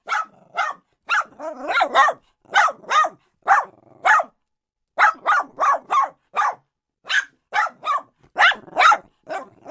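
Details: A dog barks steadily and energetically, sharp yaps following one another about every half second over nearly ten seconds, with only a couple of short pauses.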